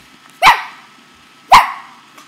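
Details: A playful male Corgi gives two sharp, punchy barks about a second apart while his owner coaxes him to bark and he bites at the owner's leg and hand.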